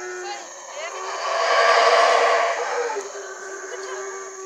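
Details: Distant howler monkey roar from Chiapas, Mexico, a rough breathy swell building to a peak near the middle and slowly dying away over a constant humming background.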